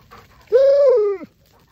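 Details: Fish, a male Alaskan Malamute kept apart from two females in heat, Sojou and Dotty, sings a love song to them: one drawn-out tonal howl, steady then sliding downward, lasting under a second, with rich harmonics.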